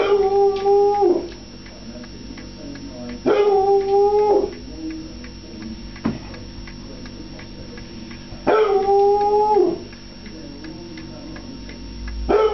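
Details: A foxhound howling for his food gives three drawn-out, level howls at roughly three to five second intervals, each dropping off at the end, with quiet indoor background between them.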